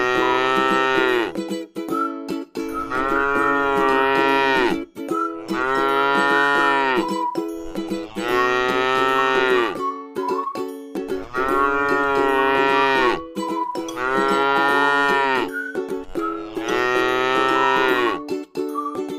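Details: Six sustained, resonant moos from a tame cow eating grass in a rice field, repeated at a steady rhythm of about one every three seconds, steady background tones throughout.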